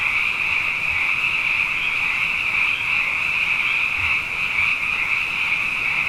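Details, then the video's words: After two wet years running, frogs are abundant and call at night in a thick, constant high-pitched chorus that wavers slightly in intensity, with a couple of faint low thumps. "Frog Songs: Na Mele o nā Paloka"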